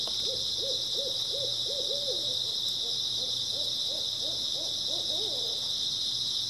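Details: Early autumn night grass insects keep up a dense, continuous high chirring chorus while another animal sings a long run of quick, low, arched notes, about three per second.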